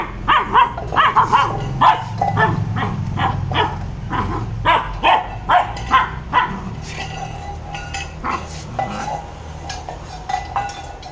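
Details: Maara, a Labrador Retriever, barking during angry-seeming play: short, sharp barks in quick, uneven bursts, about two or three a second, with low grumbling between volleys in the first half and softer, more spaced barks toward the end.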